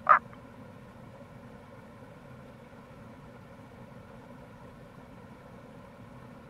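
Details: Tago's brown frog near a gorge on Fukuoka's Kamo River, Itoshima, recorded in April; a single brief, loud grunting croak opens, followed by only the steady murmur of running water.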